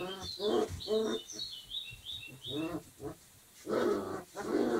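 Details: Dogo Argentino puppies, 25 days old, playing together; a series of short harmonic whines and yelps comes in bursts of rising and falling squeals, with thin high squeaks between them and brief quiet gaps.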